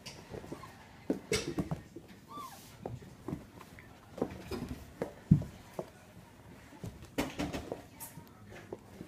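A Vizsla puppy makes brief, high-pitched whimpers and thin whines, some rising, spaced irregularly. Scattered taps, thumps and shuffling sounds fill the gaps between calls.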